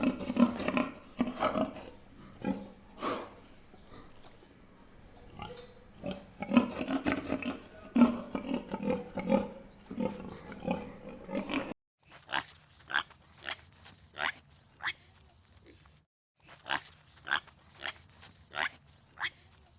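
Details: Pig sounds: a busy stretch of rough grunts and snorts during the first twelve seconds, then separate bursts of short clicking grunts with brief silences in between, with faint low hum underneath.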